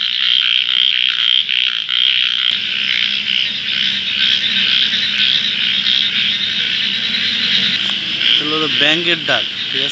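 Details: Frogs calling in the dark of night near water, a dense, steady high-pitched trilling chorus running throughout, with a short burst of rapid, harmonic-rich croaks near the end.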